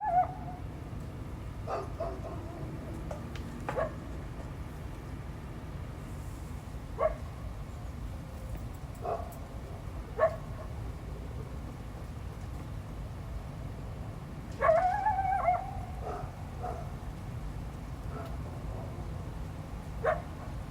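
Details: Wild coyote calling in response to a dog barking and intrusion into its territory, recorded 12 February 2025: scattered short sharp yips or barks through the clip, one louder wavering howl midway, over a steady low rumble of background noise.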